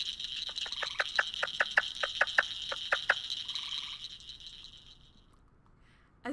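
A leopard frog gives a rapid series of dry, clacking pulses over a steady, high-pitched frog chorus.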